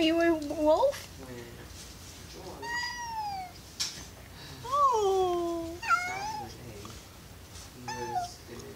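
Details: Domestic cat named Alastor meowing indoors in a small room: several drawn-out, wavering meows, some rising then falling, others howl-like, with a person speaking between calls.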